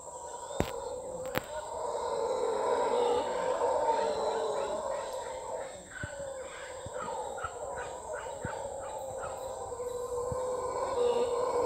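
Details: Howler monkeys calling on a property in Costa Rica: a sustained, rough, droning roar that swells and fades, with faint repeated chirping and ticking from other animals above it.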